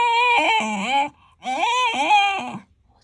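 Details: Complaining Shiba Inu, a dog that dislikes walks, giving two long wavering moans, each bending down in pitch at its end like a grumbling cry, separated by a brief silence, in a small room.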